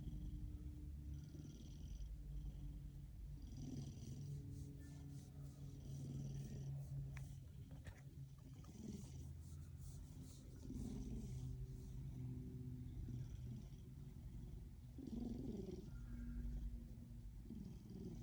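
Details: A happy Ragdoll cat purrs in a low, steady rumble that swells and fades with each breath.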